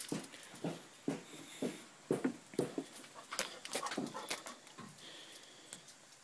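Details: A Basset Hound, while playing, gives short, gruff barks in a quick, uneven series, about two each second.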